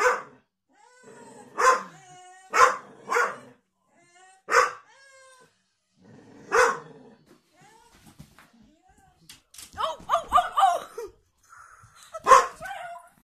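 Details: Pet Staffordshire Bull Terrier barking at the rubbish men from a sofa indoors: loud single barks spaced about a second apart, a gap with quiet whines, then a flurry of mixed sounds and one final bark.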